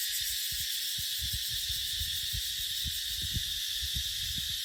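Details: Continuous shrill cicada buzzing fills dry-season dipterocarp forest, with frequent low, breathy wind gusts pushing through underneath.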